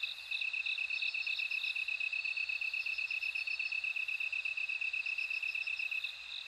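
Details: Bell cricket chorus: a steady, fast-pulsing high trill runs throughout, with fainter ringing pulses above it. No other sounds are heard.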